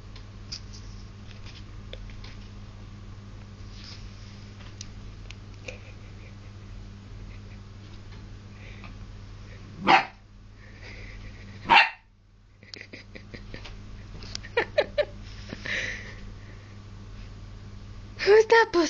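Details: English Springer Spaniel puppy reacting to his reflection in a mirror indoors; two loud sharp barks two seconds apart, then a run of quick yips and a final burst of high barks, over a steady low hum.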